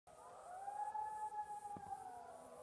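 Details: A gray wolf (Canis lupus) calling in the Duck Mountains, Manitoba, gives one long, mournful howl that rises smoothly, holds a steady mid pitch, then slides gently down, over a faint hiss.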